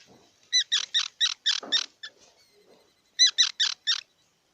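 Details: A squirrel barks out a rapid run of five loud, evenly spaced chirps, pauses with soft low grunting, then gives four more sharp chirps.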